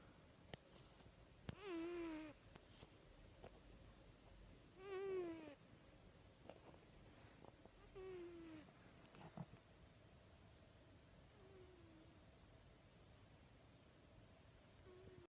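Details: Domestic cat snoring: four soft, low, drawn-out breathing sounds spaced roughly three seconds apart, each faintly harmonic and falling slightly, fading away by the end, with occasional faint clicks in a quiet room.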